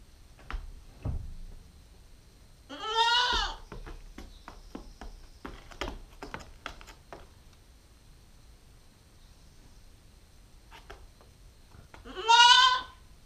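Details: Nubian goat kid, nine weeks old, female, with two loud wavering bleats rich in stacked harmonics, one near three seconds and another near twelve seconds, separated by clicks, knocks and soft rustling in a quiet space.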